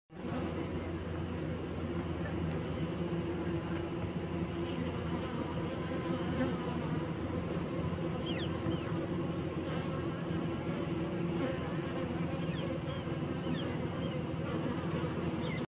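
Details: Honey bees on a hive frame during a search for the queen, producing a dense, steady buzzing drone that holds without a break for the whole recording.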